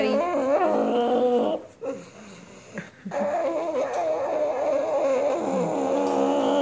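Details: Fawn pug, a male, making noises while being petted indoors: long, sustained, warbling whine-like groans that bend up and down in pitch, briefly broken by a quiet gap before resuming.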